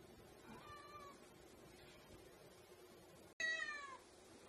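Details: Domestic cat playing fetch with a ball like a dog: faint, wavering meows early on, then after a brief hush one loud, clear meow with a falling pitch and rich overtones near the end, over low room noise.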